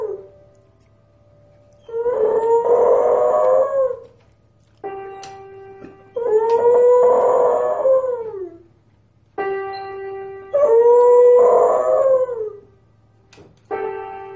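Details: A musical dog performing for an audience howls in three long wavering phrases, each about two seconds, rising then falling. Each phrase answers short held notes from an instrument, with a low steady hum throughout.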